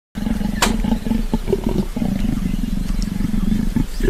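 An African leopard gives a low, rough, continuous rumbling growl with a fine, rapid pulsing texture.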